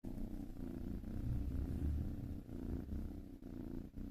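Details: Cat, possibly a black kitten, purring steadily: a deep low rumble with rhythmic pulsing swells, continuous throughout, no other sounds.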